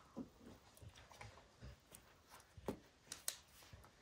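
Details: Max the dog is indoors, focused on destroying a baseball hide. Sparse wet chomps and low gnawing thuds are broken by a few sharp crackling snaps of torn leather, with quiet pauses between the bites.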